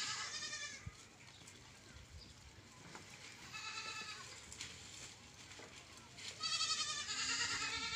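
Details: Goat bleats on a farm, wavering and nasal, rising out of a steady hiss of background noise. Two bleats start and end the stretch, with a quieter one in between and faint clatter throughout.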